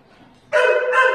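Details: Holly, a female Podenco at the Valencia municipal dog pound, gives one loud, harmonic, slightly whining bark after a half second of near silence.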